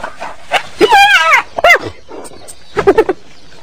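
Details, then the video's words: Hyena calling in short bursts: a high, wavering, harmonic-rich cry that arches upward and falls, followed by a brief bent note and a final cluster of choppy, giggling yelps. "Ternyata Seperti ini Suara HYENA"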